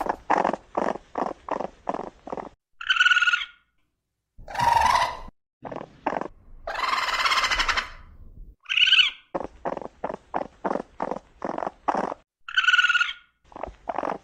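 A raccoon chitters in quick bursts, broken by shrill squeals and harsh hissing snarls.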